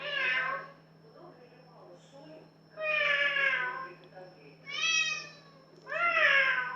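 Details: Singing house cat giving four long, loud, tonal meows spaced about two seconds apart, some bending downward at the end, with quiet rustling between calls and a constant low electrical hum.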